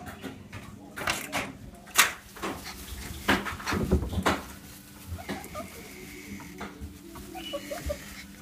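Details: Staffordshire Bull Terrier crossed with a Cavalier King Charles Spaniel, indoors with people, giving a series of sharp, bleating cries and short bursts, with a few higher drawn-out whines near the end and a person calling out in between.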